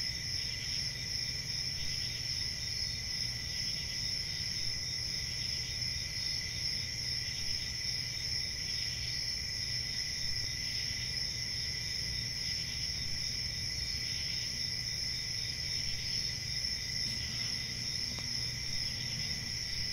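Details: Many crickets trill at night in one even, high, ringing chorus that never stops, with a low murmur of background noise beneath.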